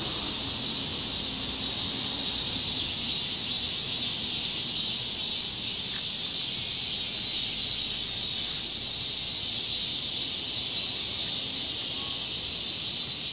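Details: Korean summer cicadas making a dense, unbroken high-pitched hiss that holds steady in loudness throughout, with only faint low background sound beneath.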